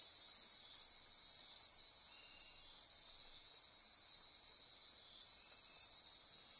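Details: Night-time rainforest insects near Corcovado National Park, Costa Rica, trilling and ratcheting in an unbroken high chorus that swells and eases slightly every second or so.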